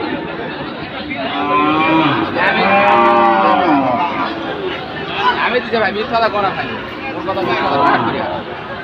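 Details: At Ambari livestock market on Monday 24 July, with Chattogram traders buying Sahiwal bulls, a long, strong bellowing moo swells and fades over a din of voices and crowd noise.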